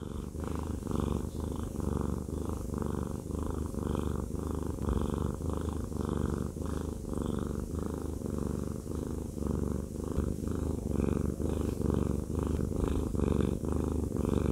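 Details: Haku, a fluffy male cat, purring while having a massage; steady low rumbling purr, pulsing in and out with each breath, continuous throughout, indoors with no other sounds.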